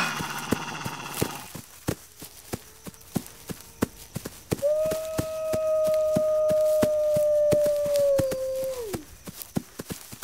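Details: Wolf howling: after a few seconds of sharp ticking, one long steady mid-pitched howl holds level for about four seconds, then slides down at its end, with a steady patter of sharp clicks throughout.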